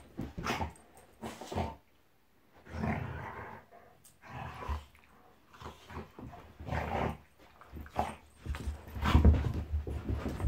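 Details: Monty, a Golden Retriever, play fighting at home with Eric, a Labrador: drawn-out throaty growls lasting about a second each, broken by brief pauses, building to a louder growling, barking flurry toward the end.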